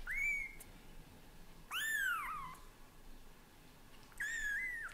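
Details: Household cats as daddy cat Leo gets used to kittens little by little; three clear, high, arched meows, the middle one longest and falling in pitch, separated by quiet pauses.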